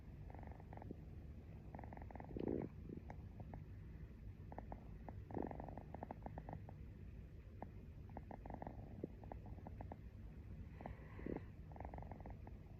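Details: Sleepy house cat purring as its owner drifts off to sleep. A low, even rumble carries through the clip, with a few brief louder swells and soft rustling sounds over the steady vibration.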